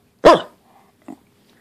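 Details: Pembroke Welsh Corgi, described as upset, giving one short sharp bark followed by a faint brief grunt, in a quiet indoor setting.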